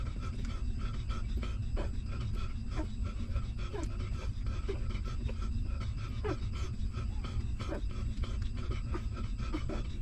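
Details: Hungry newborn puppy of a stray mother dog, suckling milk: rapid wet clicks and smacking with a few faint, brief falling squeaks and whimpers over a steady low rumble of background noise.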